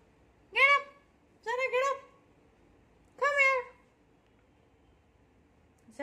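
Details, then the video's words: Scared of a new cot, a beagle lets out three drawn-out whimpering cries, each sliding downward in pitch, with quiet room hum between them and another cry beginning at the very end. "Beagle scared of new cot"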